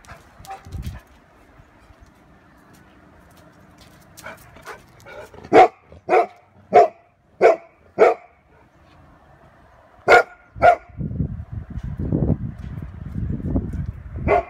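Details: A Golden Retriever guarding his family from a balloon gives a quick run of sharp, mid-pitched barks, then two more after a pause.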